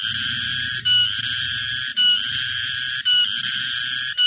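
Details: Summer cicadas sing a loud, steady, high-pitched buzzing drone with brief dips about once a second.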